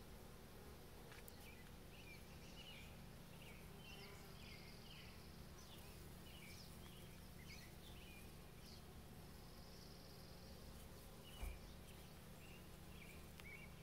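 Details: On 18 May 2020, bees work rhododendron blossoms with a continuous low hum. Many small chirps from birds scatter across the background, and a single soft knock sounds near the end.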